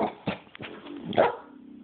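A dog makes a pair of brief, rough vocal bursts, half bark and half grumble, about a second apart. A low, even humming tone lingers after the second burst.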